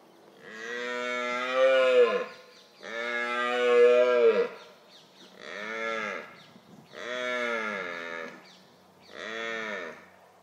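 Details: Red deer stag, a large, highly aggressive male, roaring in the October rut: five deep, hoarse, moaning roars, each one to two seconds long, falling in pitch at the end and repeated every two seconds or so.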